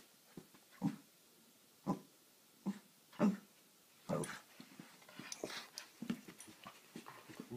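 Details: Boston Terrier eager to play with a new kitten. A few brief, low whining yelps come roughly once a second, then give way to scuffling and rustling movement noise.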